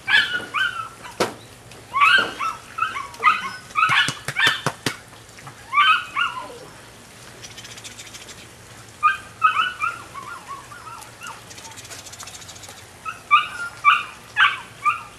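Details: Young female puppy aged nine weeks, Rodin/Katana litter, yipping in rapid repeated high squeaks, several grouped bouts with brief pauses, a few sharp clicks or knocks mixed in, low background hum.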